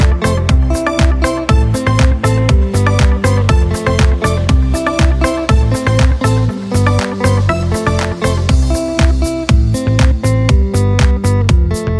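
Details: Loud, steady-beat dance music with drums and bass, and no animal sound.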